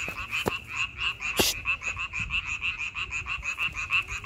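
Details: A May frog chorus of rapid, rhythmic pulsed croaks swelling and fading in quick waves, with a loud sharp crack near the middle and a couple of softer knocks.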